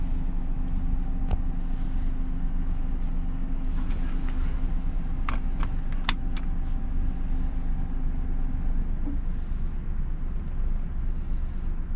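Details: Steady engine rumble inside a moving car, with a few sharp clicks and jangling keys, and no animal voice.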